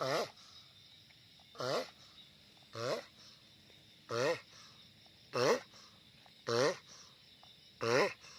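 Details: Loud noise from a giant sulcata tortoise: seven strong, short, harmonic groans with a wobbling pitch, about one every 1.2 seconds and louder toward the end, over a faint constant hiss.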